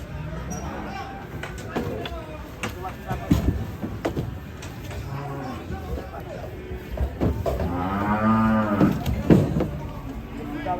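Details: Agitated, raging cattle amid a noisy, clattering scene of knocks and rustling, until a loud drawn-out moo swells near the end and then fades.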